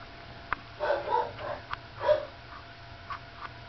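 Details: A sleepy pup, third of Lacey's litter, murmurs while nursing: a run of muffled, wavering squeaks and grunts packed into about two seconds, with faint clicks before and after.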